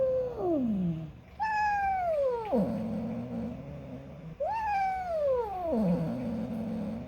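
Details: Female pet cat making an odd, talking-like call when she wants something: drawn-out meows that slide upward then fall steeply, two long calls with rich harmonics and a quieter falling cry before them.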